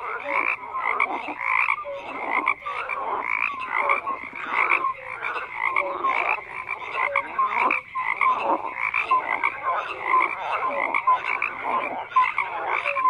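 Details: Massed frogs croaking nonstop, grating pulses overlapping with brief whistle-like notes throughout, nothing else audible.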